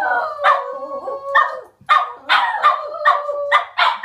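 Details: Pet Border Terriers howling as a group sing-song, sustained wavering howls broken by abrupt rising yelps about every half second, several dogs overlapping.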